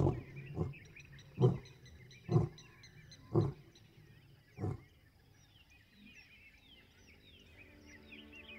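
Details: A big male lion of the Chobe Riverfront pride, lying about 100 metres from the Chobe river in Botswana around 5:30 am, roars: six deep, booming grunts in under five seconds, spaced further apart and fading, small birds chirping.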